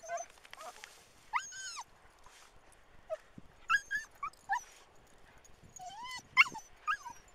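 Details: Manchester Terriers tearing about in the dunes at Waxham in 2012. High, arching whines and yelps come in short bursts with uneven gaps, some sliding up then down, plus a few brief clicks and rustles.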